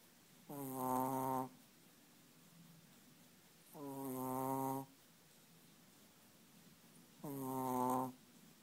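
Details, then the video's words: Sleeping Chihuahua producing three drawn-out, buzzy snores with a nasal, layered tone, each lasting about a second and spaced roughly three seconds apart, separated by near silence. "chihuahua schnarcht"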